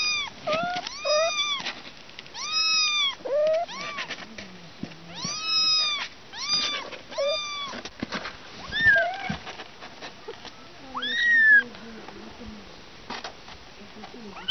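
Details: Morning picnic kittens calling in a dense series of arched meows, several overlapping early, then thinner and more spaced cries with soft rustling and a few short squeaky calls later.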